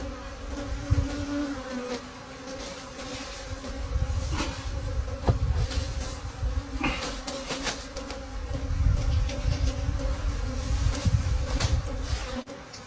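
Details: Forest wild bees humming around a broken honeycomb nest at the season's last honey harvest, their steady drone partly buried under heavy low rumbling and bumps from the comb being handled.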